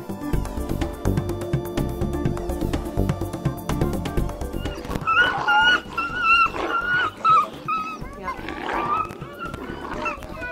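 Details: Captive Eurasian wolves at a wolf park in Antequera, Málaga, Spain, give high, wavering whines and yelps that serve as calming signals rather than cries of pain.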